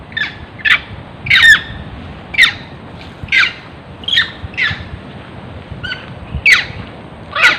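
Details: A monkey chased by farmers screams in rapid, irregular bursts of harsh, squawking, falling cries, roughly one per second for over seven seconds, with a constant low murmur of background noise.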